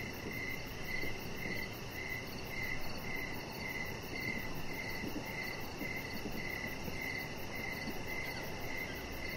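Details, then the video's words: Outdoor evening crickets by a lit-up deck with a chihuahua lying nearby, giving a regular series of short, shrill chirps, about two per second, with a fainter higher overtone and a constant low noisy wash beneath. "Chihuahua Puppy Laying On Deck with Cricket Sounds"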